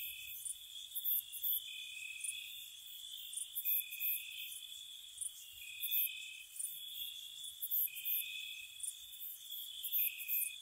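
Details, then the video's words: Night cricket chirping in spring at a cottage, several insects trilling together in sustained high bands, with alternating tones switching back and forth and quick bright pulse bursts repeating about every second. "Cricket Sounds"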